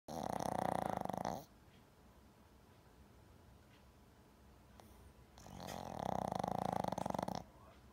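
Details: Jam, a pet Shih Tzu asleep at home, snores loudly with a deep, buzzing rasp; two snores lasting about one and a half to two seconds each are separated by a quiet pause of roughly four seconds in a still room.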